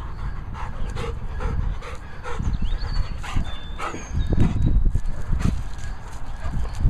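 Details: A Rottweiler named Boaz panting in quick, rhythmic breaths under heavy low rumbling noise, with a few faint short chirps in the background.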